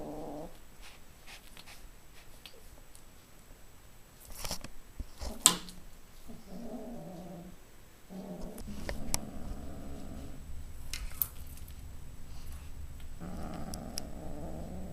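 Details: A roughly three-month-old kitten growls while holding a new fishing-pole toy indoors. Low, rumbling, drawn-out growls come in long stretches, with a few sharp clicks and thumps in between.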